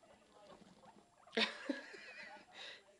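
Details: Newborn guinea pig babies popcorning and following their mother around: a sharp rustling burst, then short squeaky notes with a bright harmonic ring, soft scuffling between them.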